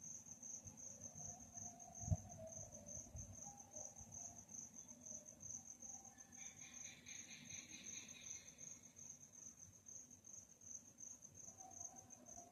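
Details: Nighttime cricket chorus: a continuous high, shimmering trill throughout, joined midway by a short series of rapid, stacked, buzzy pulses at a lower pitch, over soft low rumble.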